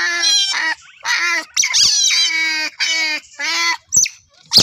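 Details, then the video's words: An otter repeats bursts of squealing, each under a second and evenly spaced, with short chirps at the end. "カワウソの鳴き声 Otter ling noises"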